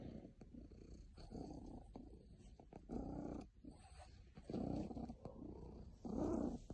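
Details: A very happy cat gives a low, continuous purr that pulses in breath-length surges, faint at first and growing stronger toward the end, about six louder swells in all.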